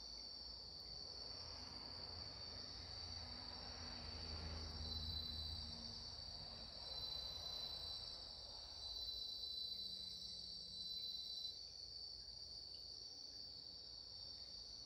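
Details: 1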